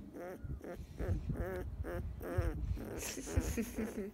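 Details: Field-type Labrador Retriever puppy, 15 days old, basking in the sun and growing sleepy while being petted; short high whimpering squeaks with wavering pitch, several in quick succession, over low rustling and handling noise.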